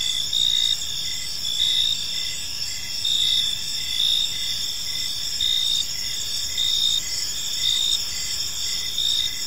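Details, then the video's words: High, steady cricket chirping fills an evening park, dense trilling bands with brief louder swells every second or so and a soft low background rumble. "Cricket Sounds in a Peaceful Park"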